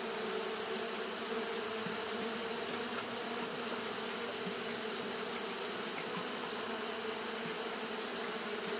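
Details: Constant fanning by Japanese honey bees on a hot day, heard as a uniform low droning buzz with no breaks, backed by a steady bright hiss.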